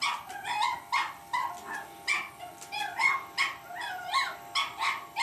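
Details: Cavalier King Charles Spaniel puppy battling an electric shaver, letting out a rapid run of high, sharp yapping barks, about a dozen in five seconds, with a faint steady tonal hum beneath.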